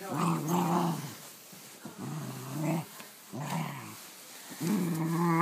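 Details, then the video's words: Pet dog indoors playing with a beloved new toy, making strange gremlin-like growling grumbles: low harmonic bursts of about a second each, repeated four times with short quiet gaps between them. "My dog making out with his new toy sounds like a gremlin"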